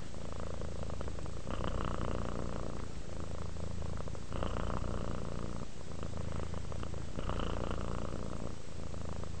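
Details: Purring domestic cat at rest, the rumble rising and falling in slow waves roughly every two and a half seconds, close and continuous.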